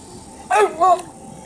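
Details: A dog barking in the water: two short, loud, high-pitched yelping barks about a quarter second apart, over quiet background hiss.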